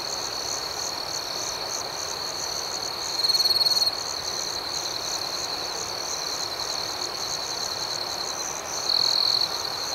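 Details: Crickets chirping at night: a steady, shrill high trill runs throughout, layered with rapid pulsed chirps, and a louder sustained burst of trilling rises briefly twice. No other sounds stand out.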